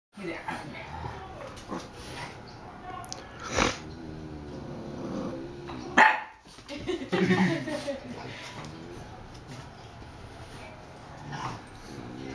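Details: Two bulldogs, Bowser and young cousin Hamboy, play-fighting at home; rough growls and short barks come in bursts amid scuffling, with a person speaking now and then.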